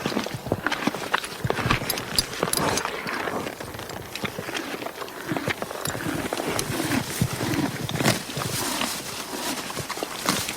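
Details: Grazing horse munching grass, producing rapid crackly crunches and ripping sounds in irregular clusters, busiest around the middle, over a low rustle of moving stems.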